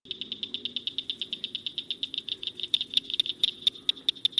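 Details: Blanchard's cricket frog, one of Iowa's smallest frogs at about an inch long, in a pond, gives a rapid series of sharp, high clicks, like pebbles tapped together. Finding: Blanchard's cricket frog.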